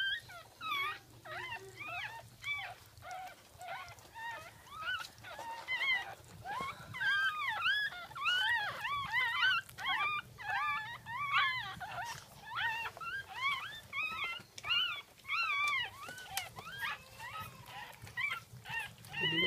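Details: Second litter of a Jack Russell Terrier during birth, 10/17/2014, 5:35 am: dense, rapid chorus of thin, arching squeals and whimpers, roughly one and a half per second, with a constant low background hum.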